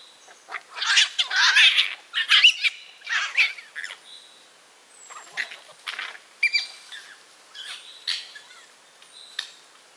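Red fox cubs squabble over food with harsh, screechy bursts and thin squeals.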